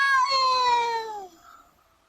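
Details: A single long, talkative meow from a domestic cat, strong and harmonic at the start, then slowly falling in pitch and fading away.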